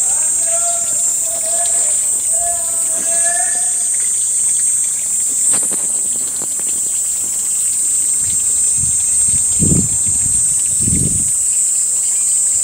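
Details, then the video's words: Cicada buzzing on a hot summer day in Panchkula on 2 May 2021. A shrill, unbroken, very high buzz runs steadily throughout. Brief tonal calls sound early on, and low thumps come near the end. "Cicada buzzing on a hot summer day in panchkula"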